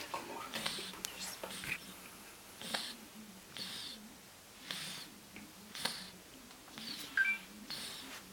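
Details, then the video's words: Sleeping indoors, the fat ginger cat Ryjik gives airy, whispery snores in a regular cycle, each breath a short hiss roughly every second, with a quiet low drone underneath. "Cute fat ginger cat snoring like a human"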